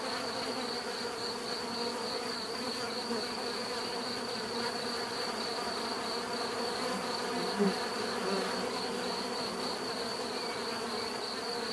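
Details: Dense, even droning of bees with a persistent high thin whine on top; the hum swells slightly at midpoint and a brief soft tap is heard.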